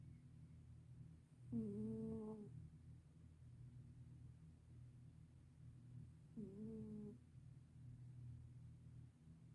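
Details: Sleeping black senior cat snoring loudly indoors: two drawn-out, voiced, nasal snores about five seconds apart over a steady low rumbling breath.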